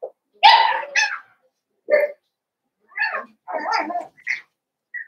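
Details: Blenheim Cavalier King Charles Spaniel puppies, five littermates born on New Year's, in an indoor pen. A quick series of squeaky yelps and small barks, some thin and high, scattered across the stretch with short gaps.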